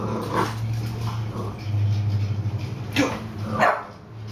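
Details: Bulldog Bowser play-fighting with young cousin Hamboy indoors; a steady low rumbling growl runs throughout, broken by short barks near the end, with faint human speech.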